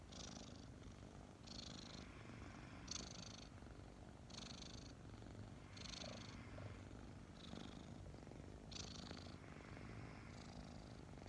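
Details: Two kittens about five months old snuggling together in the morning, purring steadily: a low continuous rumble with soft breathy hiss bursts roughly every one and a half seconds marking each breath.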